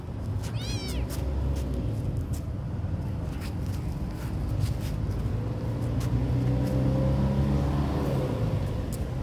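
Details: Hungry small kitten crying: one high, sharp meow that bends up then down near the start, followed by faint, scattered sounds over a steady low rumble.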